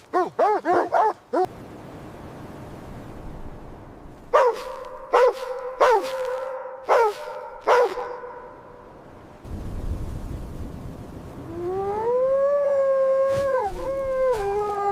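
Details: In a snowy winter setting, puppies play with their mother dog; a quick run of sharp barks, then spaced single barks, a stretch of rumbling noise, and finally a long wavering whine.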